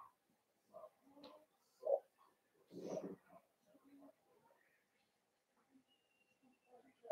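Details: Litter of five blenheim Cavalier King Charles Spaniel puppies, born at New Year's, kept in an indoor puppy pen; scattered short squeaky whimpers and whines, a sharper yelp near two seconds and a rougher grunting burst just after, then soft quiet squeaks.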